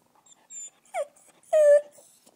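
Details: A small American Eskimo Dog making short noises: a brief whine, a quick falling yelp, then a longer clear whining cry with a steady tone, separated by short quiet gaps.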